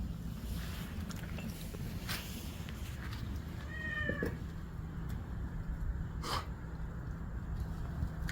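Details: Cat in the evening, neighbourhood cats drawn by the smell of grilling meat: a single short, slightly falling meow with clear stacked harmonics midway through, over a steady hiss of background noise and a few faint knocks.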